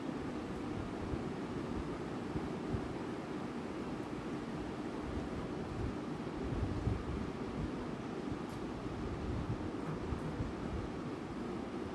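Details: Low, constant wind-like rumble and hiss with a few faint clicks, and no animal voice.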